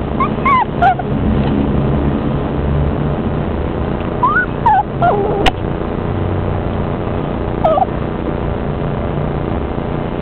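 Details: Four-week-old spaniel puppies giving short, high whimpering squeals, each a quick rising-then-falling whine, heard in scattered bursts near the start, middle and toward the end, over a constant low rumbling background noise.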